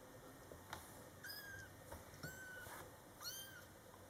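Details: Month-old Scottish Fold kittens, born July 22, 2012, with their mother cat: three clear, high-pitched mews, each drawn out and slightly bending down at the end, about one second apart, with a faint click before them.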